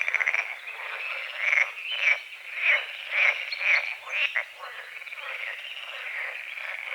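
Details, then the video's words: Dawn frogs at a small forest-edge lake, croaking in quick rattling bursts about twice a second, loud at first then settling into a steadier background chorus. "The sounds of morning frogs croaking"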